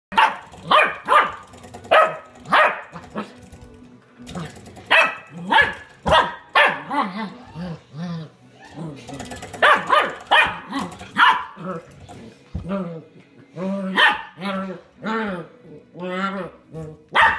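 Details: Puppy playfully attacking a door stop indoors, giving repeated high yappy barks and growly whines in bursts, mixed with a person talking and laughing.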